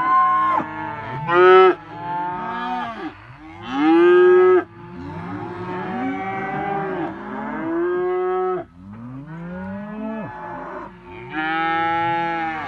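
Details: Simmental cattle, a group of heifers and bulls crowded together, lowing continuously: several overlapping harmonic moos, some loud and nasal, others long and falling, one after another through the clip.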